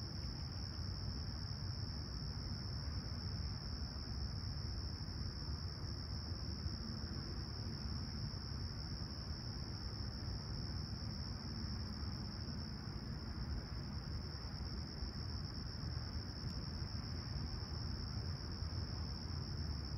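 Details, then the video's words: At Toronto's Humber Bay Shores on a serene summer sunrise, 28 July 2020, 20ºC, chirping crickets form an even, continuous high whine that never pauses, laid over a steady low roar of distant noise. "Serene Summer Toronto Morning With Chirping Crickets"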